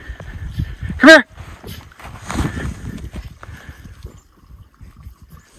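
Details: Miniature Schnauzer brothers Lucky and Levi romp off leash in snow, Aroostook County, Maine, on January 6, 2023; one sharp, loud, high bark near the start, then a man talking quietly and snow crunching underfoot.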